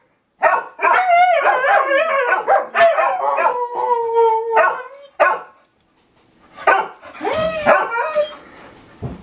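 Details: Several dogs howling together on the 4th of July, 2012: long wavering tones that rise and fall, overlapping with yelps and short barks, a brief pause, then a fresh burst of howling and yipping.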